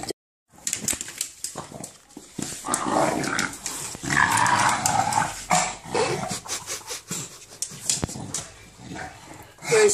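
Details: English bulldog growling and grunting while playing with a ball at home, rough throaty rumbles in bursts with scratchy noises, a woman talking to the dog in between.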